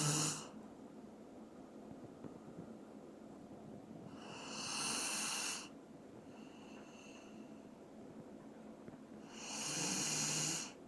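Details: Doran, a Dobermann, asleep and snoring: three long hissing, wheezy breaths about five seconds apart, with faint exhalations in the gaps and a quiet room around.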